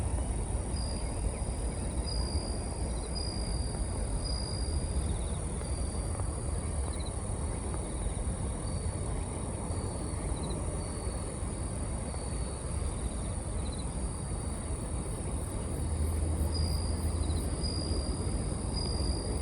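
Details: Bell cricket in autumn, ambient sound boosted in editing: faint, high, ringing notes repeated in short bright bursts every second or two over a steady low rumble of background noise.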